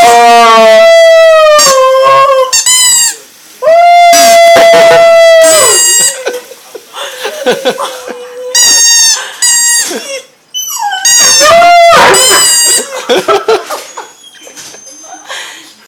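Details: Pet dog coached to "sing" with long, steady howled notes and shorter wavering yelps, broken by pauses and what may be a person's voice in between.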